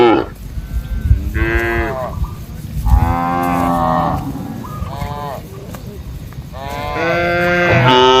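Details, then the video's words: Several cows calling in an open farm field alongside goats, buffalo and monkeys, their harmonic moos overlapping and rising and falling, with steady low background rumble throughout. "Funny Cow Sounds"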